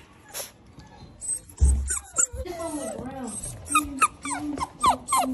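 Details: Cane Corso puppy during kennel training, unhappy with being crated: a run of high, wavering whimpers and short falling whines that grow more frequent toward the end, with faint background music and a low thump.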